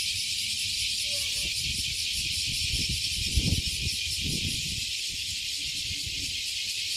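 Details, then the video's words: Cicadas from a 50-year-old tree overlooking Fukuoka Bay, Japan, all singing at once. A strong sizzling high-pitched drone with rapid pulses, with scattered low knocks and rustles in the middle. "the voice of cicadas"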